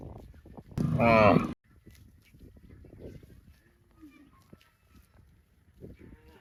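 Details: Cow mooing: a single loud, short, strongly harmonic moo lasting under a second near the start. It is followed by quiet background with faint rustling and a few soft, distant sounds.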